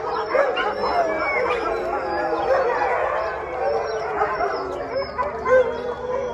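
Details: Several hungry Siberian Huskies at a rescue halfway house howl and 'woo' together in the evening before dinner; overlapping wavering, mid-pitched howls and yodel-like talking sounds form a dense, continuous group chorus.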